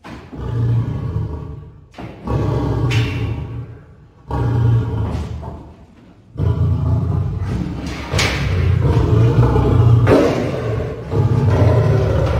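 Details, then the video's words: Caged lion and lioness roaring at Paragpur Zoo, Himachal Pradesh; deep, rumbling low roars in drawn-out bursts of about two seconds each, following one another almost without pause, with a hall-like echo. "Caged Lion and lioness roar in Paragpur Zoo, Himachal Pradesh"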